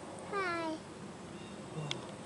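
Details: Puma, or mountain lion, giving a single descending meow-like call with clear stacked harmonics, lasting about half a second, followed by quiet background noise and a faint click.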